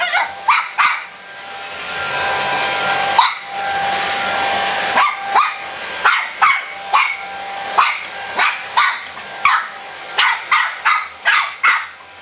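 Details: Mu-Shu, a three-month-old Shih Tzu puppy, fights a running hair dryer: shrill, short yips repeated about every half second in a steady volley of some twenty barks, set against the dryer's constant airy roar and whine.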